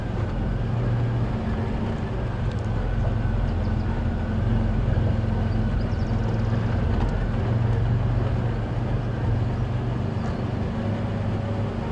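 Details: Steady low vehicle engine rumble throughout, with no clear animal calls.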